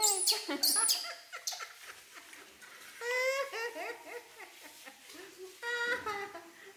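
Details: Baby monkey Poy crying and refusing a bath alongside baby monkey Nita: two shrill high squeals open, then bursts of wavering, harmonic-rich cries rising and falling, repeated in short groups with brief pauses between.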